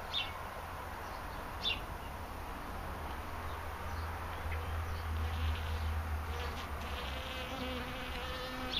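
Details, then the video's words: Bees feeding, a steady low buzz of many wings beneath brief higher-pitched passes as individual insects fly close, with a faint whine near the top throughout. "BEES FEEDING"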